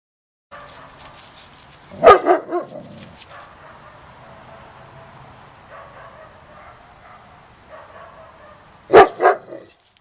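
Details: Black German Shepherd dog recorded just before Christmas 2015, giving two loud, sharp barks roughly seven seconds apart, the first followed by a couple of quieter echoing yaps, with soft rustling and handling noise between them.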